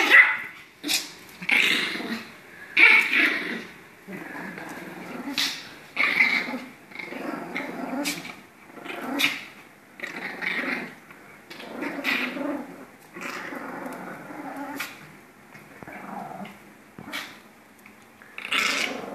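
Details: Two Pomeranians playing and play-fighting, giving short sharp barks and yips with rough growling in irregular bursts, loud clusters every few seconds separated by quieter snarls.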